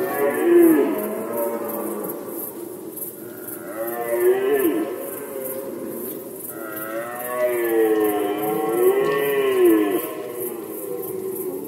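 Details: Red deer stag roaring during the rut season in Poland, 2020: long, deep, moaning bellows rising and falling in pitch, several drawn-out roars in sequence, with a steady high-pitched pulsing in the background.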